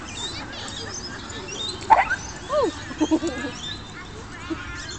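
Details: A dog in a dog park squeals after a head-on collision during play. A sharp burst is followed by a high, arched, falling squeal, then a few short yelps. Faint voices sound in the background.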